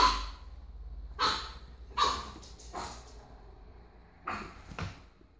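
A pug puppy gives short, high, yappy barks in scattered bursts indoors.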